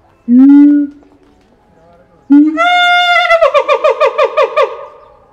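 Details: At Higashiyama Zoo in Japan the siamang Keiji gives a loud call, 17 January 2023: one booming low hoot, a pause, then a long climbing note that turns into roughly eight rapid, rhythmic pulsed whoops.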